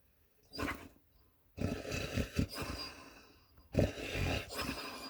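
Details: Sleeping puppy snoring very loudly indoors: rough, rasping low snorts in uneven bursts separated by short silences.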